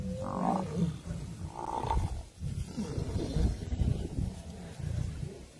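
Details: Pride of lions fighting buffalo: two short, strained moaning cries at the start, then choppy, pulsing low growls and grunts that rise and fall through the struggle.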